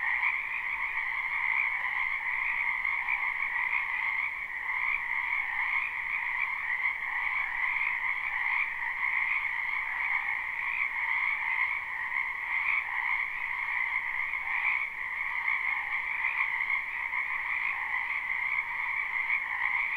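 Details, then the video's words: Frogs gathered in a wetland behind a house in spring give a continuous croaking chorus, recorded live and not looped. The overlapping, pulsing trills stay steady throughout with no pauses and nothing else audible. "Ambient Noise for Sleep Frogs"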